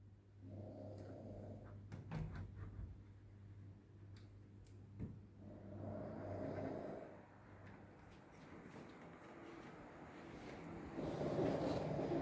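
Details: Sleeping pug snoring: three broad, husky rasping breaths arrive roughly five seconds apart, each swelling and fading, over a steady low indoor hum with a few faint clicks between them.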